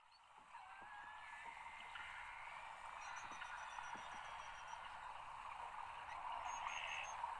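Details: Beluga whales at play in natural habitat near the shore at low tide, about ten feet away, Cunningham Inlet, Nunavut: faint rising and wavering whistles with scattered high squeaks and soft clicks over a steady watery hiss.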